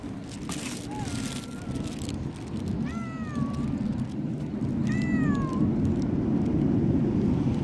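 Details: Stray tortoiseshell cat fussing at dawn: a brief mew followed by two clear, bending meows with a rise then fall, about two seconds apart, over constant low traffic rumble.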